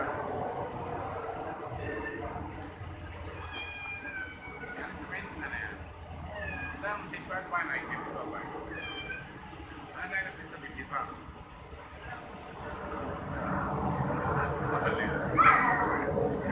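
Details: Domestic cat meowing indoors: several short harmonic meows, some rising then falling, spread through the recording, with a person talking throughout and background room noise.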